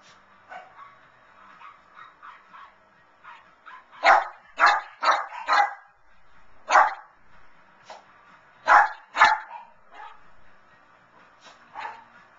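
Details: Vinnie, a pet Lhasa Apso, barks eagerly while watching the 2011 Puppy Bowl on TV, cheering on his favorites. His sharp barks come in irregular bursts of two or three, some loud and some softer, over faint television sound.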